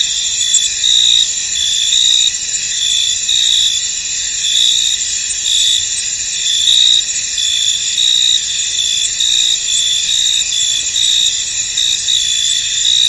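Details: Crickets in a misty, foggy field, a dense high-pitched chorus of steady trilling with brighter chirps pulsing through it, layered continuous insect buzz and no other clear sounds.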